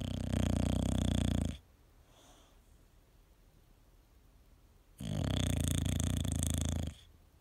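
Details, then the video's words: Sleeping male English bulldog indoors producing two long, harsh, low snores, each lasting roughly two seconds, with a soft breathing pause of about three seconds between them. "My Cute Dog Snore Compilation, English bulldog"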